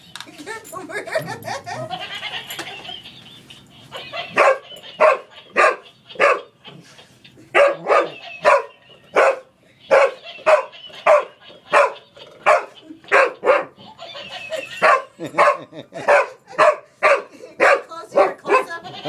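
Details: Boomer, a pet English Springer Spaniel, wrestling with a laughing toy monkey: after opening speech and the toy's chattering laugh, a run of sharp, evenly spaced barks follows, roughly two per second, continuing to the end.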